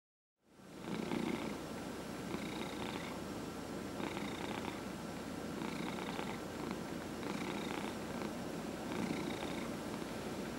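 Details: Domestic cat, 14-and-a-half years old, treated for small cell lymphoma, purring continuously while receiving a head massage indoors; steady low rumbling purr with faint repeated rhythmic brushing or rubbing sounds about once a second.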